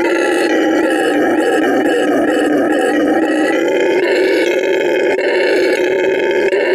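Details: ['Canelo, a red howler monkey rescued from animal trafficking, roars at full volume to mark territory at Send Verde Animal Refuge in Bolivia; a dense, unbroken, gravelly howl holding a low steady pitch with slight rhythmic pulsing.']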